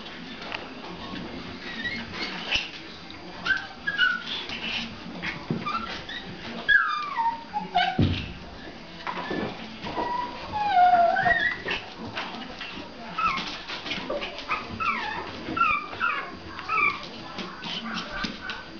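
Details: Playful Pomeranian pups around 1.5 months old romping with the mother dog: repeated high, wavering whines that slide up and down, clustered in short runs, over soft thumps and rustling.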